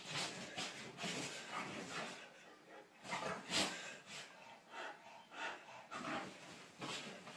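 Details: Dog discovering a bed for the first time, snuffling and snorting in short breathy bursts, with one louder snort midway, indoors.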